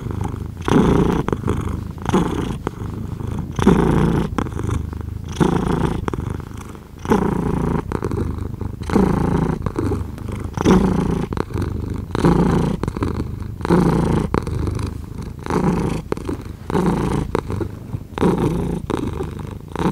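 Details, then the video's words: Steady, deep purring from a cat, breath cycles merging into an almost unbroken rumble, punctuated by many sharp clicks and brushing noises. "5 Hours of Cat Purring"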